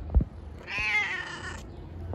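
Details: A stray street cat, said to have Down syndrome, lets out a single strained, slightly rough meow lasting under a second. Soft thumps and handling noises come just before and after it.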